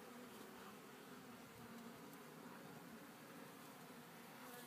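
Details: Honey bee colony in a Warre hive, second day, calm and working; continuous low, even buzzing hum throughout with no other clear sounds.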